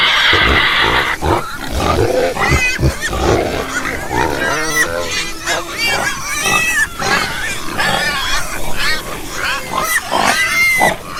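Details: A group of pigs squealing, with many bent, wavering high cries overlapping one another, mixed with lower grunts and a loud harsh burst at the start.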